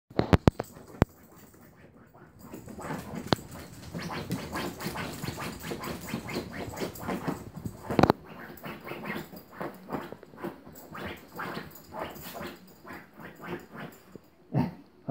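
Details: Female Pharaoh Hound dog at home performing her ritual at her bed right after returning from a drive or walk: dense, rapid rasping snorts and scratchy rustling pulses, repeated steadily for several seconds, with a few sharp knocks.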